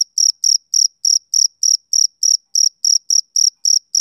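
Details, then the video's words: Close, bright chirps from a male cricket on a summer evening: about thirteen short, high pulses in four seconds, each a quick trill, evenly spaced with clean silence between. "Cricket Chirping Sound Effect"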